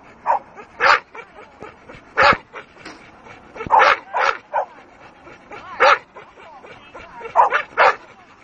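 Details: Dogue de Bordeaux in attack mode, giving loud, rough barks spaced irregularly across the recording, some single and some doubled, with quieter huffing and growl-like sounds between them.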